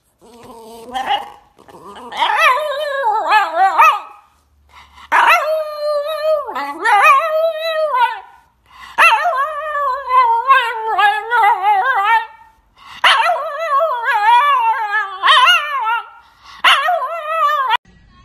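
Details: Puppy in an insistent run of bark-howls: short bursts of yelping, wavering howls about every two to three seconds, broken by brief pauses, with abrupt attacks and falling endings.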